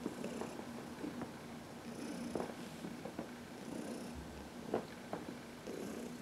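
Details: Purring from Heidi, a 14-year-old adopted senior cat, as she is massaged in the sun: a continuous low rumble with rhythmic pulses, broken by light rubbing and rustling noises.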